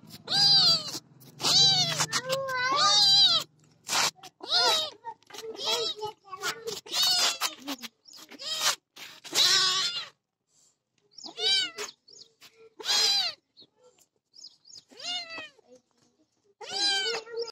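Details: White cat giving a long run of repeated meows, many short rising-and-falling mews in quick succession, some drawn out, pausing briefly before further calls.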